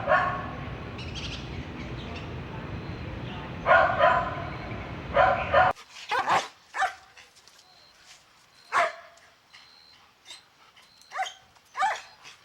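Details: Lively Golden Retriever puppies playing on lush grass give a series of high, snappy barks and yips at an irregular pace, first over loud rustling noise, then in a clearer stretch with a faint high beep behind.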